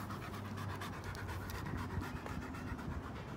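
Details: Out on a walk, George, a 90-plus-pound German Shepherd two and a half years old, gives fast, airy panting breaths in an even rhythm, with faint background rumble and outdoor noise.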